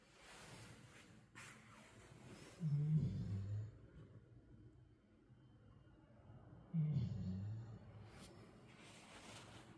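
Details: Black Labrador Retriever asleep after playing hard, snoring softly: two low rumbling snores about four seconds apart, with quiet breathing and faint room noise in between.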